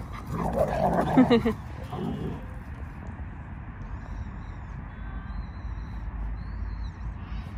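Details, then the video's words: Male English cream Golden Retriever, so happy that his grandfather came home, gives a burst of rough, excited whining and moaning vocalizations during the first two seconds, then steady background noise with low rumble. "할아버지가 집에 와서 너무 행복한 강아지 🥹 The dog that's so happy that my grandfather came home"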